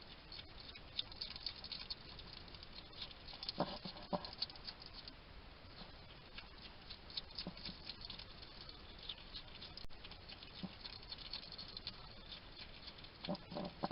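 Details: Wild hedgehog eating at a UK garden feeding station in Somerset: scattered crunching and smacking sounds, a few clustered bursts of chewing, otherwise quiet hissy background.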